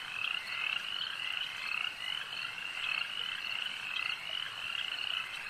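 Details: A lakeside chorus of frogs with many overlapping rattling trills, some louder calls standing out in short bursts about twice a minute's pace, the whole chorus steady and continuous.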